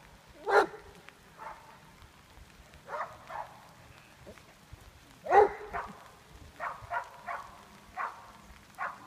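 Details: Nash, a Greater Swiss Mountain Dog working as a junior herd dog, lets out two sharp, loud barks about five seconds apart. Softer short calls repeat between them against a quiet background.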